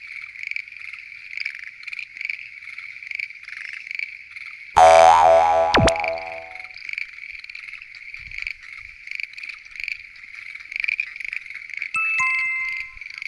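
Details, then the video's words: Frog chorus at night at a lotus pond in Japan, attributed to Schlegel's green tree frogs: dense, overlapping pulsed croaking bursts repeated in quick succession, with a loud harmonic tone-like effect and brief ringing chimes over it. "Noisy? Green Tree Frogs Chorus! !"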